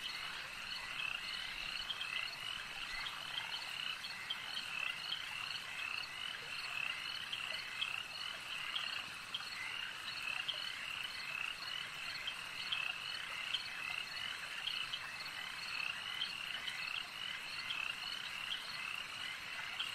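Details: A lakeside frog chorus, many callers croaking together in a continuous shimmering trill, with small pulses of louder croaks rising and falling throughout and no other distinct sounds.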